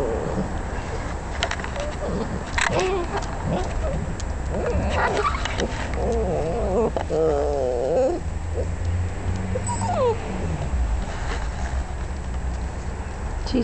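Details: Basset Hound puppies heard indoors, giving wavering high whines and squeaky whimpers over a steady background hum, with a person calling to them.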